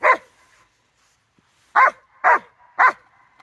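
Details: Rottweiler on 4 September 2022 giving one loud, harsh bark, a pause of over a second, then three more barks in quick succession about half a second apart, with near silence between them.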